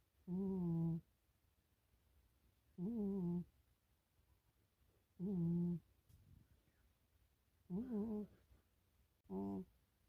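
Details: Milo, a pet cat, asleep, twitching and dreaming indoors; five loud nasal snores with buzzy harmonic tone, each about half a second, spaced roughly every two to three seconds, quiet room between breaths.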